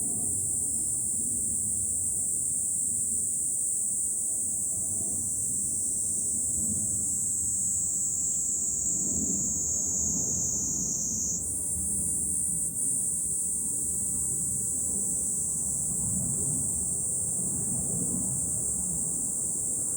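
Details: Summer cicadas in July, recorded on a Fukuoka city hilltop in Japan, producing a steady shrill buzzing wall of sound that shifts upward in pitch near the middle, with faint low murmuring wind noise below.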